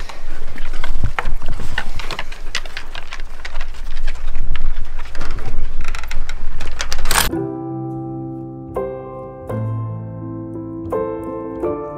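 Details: Broadband clattering noise gives way after seven seconds to soft piano notes, with no animal calls.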